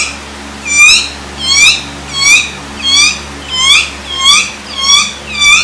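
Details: Teased dog giving a steady series of high, thin squeaks, each bending upward then dropping, about one every two-thirds of a second, in a quiet indoor room.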